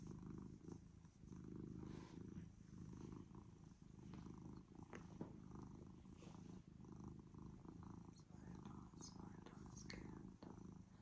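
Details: Domestic cat that came to a person purrs loudly and steadily, a dense low rumble pulsing without pause, with faint scattered clicks over it.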